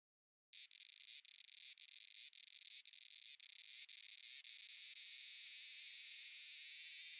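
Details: Large brown cicada (aburazemi), a Japanese summer cicada singing in the season from mid-July through September: starts abruptly, pulsing buzz bursts about every half second that merge into a continuous, harsh, high sizzling drone.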